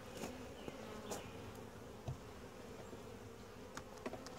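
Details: Calm, gentle honey bee colony during a routine hive inspection; a steady low hum fills the background, with brief louder buzzes of bees flying past and soft clicks from handling the hive.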